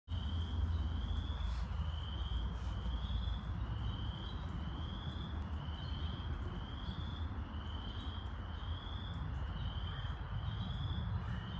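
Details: Chorus frogs in Wentworth Woods in May 2021 give short, rising, comb-like trills about once a second over a steady low rumble.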